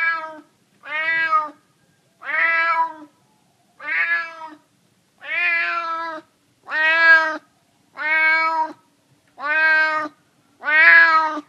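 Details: A neighbourhood stray cat, hungry and begging for food in San Francisco, gives nine drawn-out, harmonic meows at a steady pace of about one every 1.3 seconds, each rising then easing down, with silence between calls.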